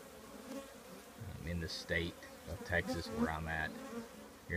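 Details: Buzzing of a honey bee colony nesting in an old trash can: a soft, low hum with pulsing bursts and a few higher whining passes of bees flying near.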